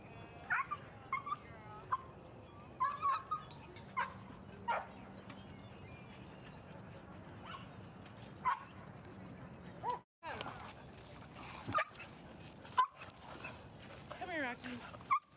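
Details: Playtime at Seal Point Dog Park on a sunny Thursday as Rosy and Rocky visit and Rocky plays with an old playmate; frequent sharp, clipped yips and barks come irregularly, with faint background noise and brief gaps.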